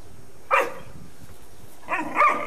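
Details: Great Dane pups, five months old, at home: two short, sharp barks about a second and a half apart, the second a doubled burst, over a quiet background.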